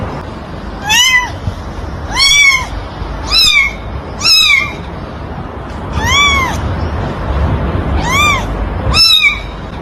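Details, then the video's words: Seven clear kitten mews, each a short rising-then-falling whine with strong overtones, repeating about every one to one and a half seconds against steady low hiss. "Cutie Pie Cat meowing sound effects | Baby Cat Meowing | Kitten Sound"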